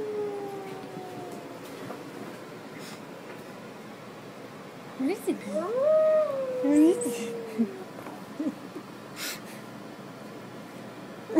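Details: A male Harlequin Great Dane, confused by a recording of wolves howling played on an iPad, gives a wavering, rising and falling howl mixed with short whines.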